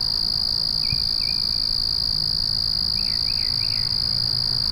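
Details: Night cricket chorus: one continuous high-pitched trill without pause, joined by a few soft clustered chirps from other callers, two early and a quick group of three later, over a dull low hum.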